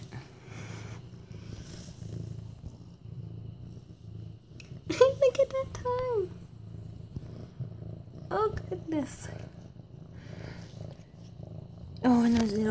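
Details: Steady low purring rumble from Mufasa, an almost 8-month-old male orange tabby with medium-length fur, petted on September 28, 2015; the purr runs throughout beneath a woman's cooing, affectionate talk at intervals.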